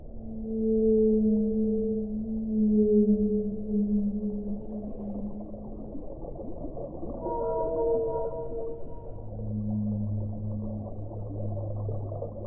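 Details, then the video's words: Whale song with a sequence of long, low moans. Two sustained tones come first, then a cluster of higher, shorter wavering notes, then a deep held tone, all over continuous underwater rumble. "1 ora di suono delle balene"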